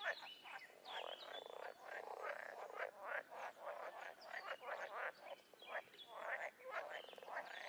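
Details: Frogs and toads calling in the wild, a thick chorus of rapid pulsed croaks and rattling trills from many animals at once, steady throughout with scattered higher chirps.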